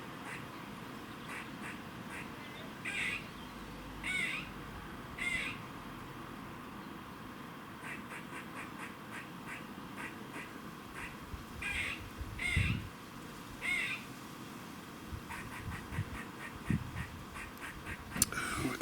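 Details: Squirrel making a warning noise in Cambridge, UK, 27 September 2019, 3:16 pm: scattered harsh quacking rasps and bursts of rapid ticks over nearly twenty seconds, with background hum and a few handling knocks near the end.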